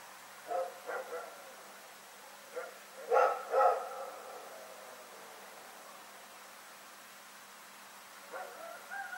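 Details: Rex, a dog, barking at night on February 27, 2018: soft barks, a louder double bark near the middle, then faint barks trailing off.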